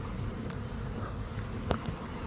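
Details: Honey bee swarm of several thousand insects from a hive in an old hot-water heater core, before being coaxed into a new hive: a continuous low hum with a sharp click near the end.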